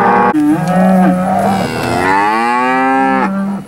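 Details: Auctioned steers from Wicksburg, Alabama, at an August 2013 cattle sale: several loud moos run back to back, with a short call, a flat drawn-out low, then a longer rising bellow held to the end.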